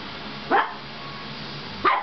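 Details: Oliver, a pet dog angry after having his ears taped and taking it out on bath towels, gives two sharp, short barks about 1.3 seconds apart, with steady low room hiss between them.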